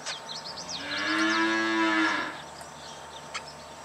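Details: A cow gives a single drawn-out moo lasting over a second, low and harmonic-rich with a slight rise and fall, while high chirping birds sound before it and a short clatter follows.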